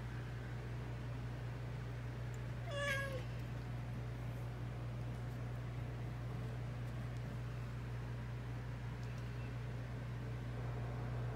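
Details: A domestic cat from a household of fourteen cats and one dog gives a single clear meow, about half a second long, that bends down then levels off. A steady low electrical hum runs underneath, and there is otherwise near silence.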